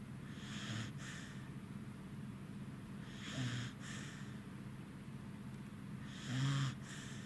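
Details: Three rhythmic snores from Goro, a Welsh Corgi dozing against his housemate dog Roku, August 3, 2018; rough, wheezy breaths roughly every three seconds with a low snort, the last loudest, against a constant background drone.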